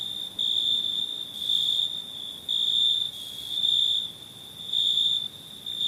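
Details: Crickets at night giving long, high, metallic trills, each about a second long, alternating with quieter stretches in a fairly regular pattern. Background hiss.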